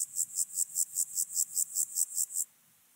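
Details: Alpine grasshopper recorded 30 July 2022 on Obir, Austria, through an ultrasound detector: about eleven sharp high buzzy pulses at roughly five per second, ending abruptly into near silence.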